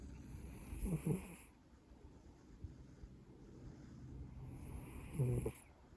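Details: Snoring Maine Coon cat: two raspy, breathy snores about four seconds apart, each a broad rasp over a deep rumble, with quiet soft breathing between them.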